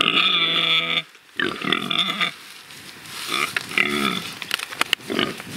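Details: Pigs kept free rather than slaughtered, playing and rooting: a loud harmonic squeal for about a second, then a gap, then more squeals and grunts with clicks and rustling.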